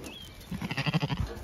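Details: Zwartbles sheep on a regenerative farm in County Kilkenny, Ireland, bleating in a short, low, pulsed burst with a tremulous vibrato, as a person speaks quietly to the animal nearby.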